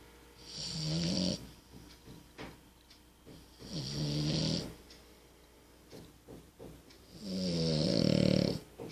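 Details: Amelie, a French Bulldog, snores in three drawn-out rattling breaths spaced about three seconds apart, each building from a low throaty buzz with airy hiss on top, the last one loudest and longest; near-silence in between.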